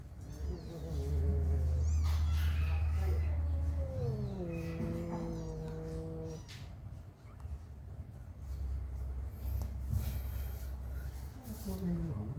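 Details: Mother cat staying close beside her newborn kittens, giving a few drawn-out, wavering meows that slide downward in pitch, heard over a low hum with voices and music in the background.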